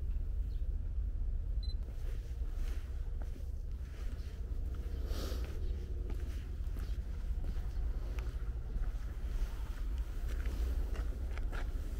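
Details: Outdoor low rumble, like wind or distant traffic, fills the recording, with a couple of faint clicks early on and no audible cat or other animal.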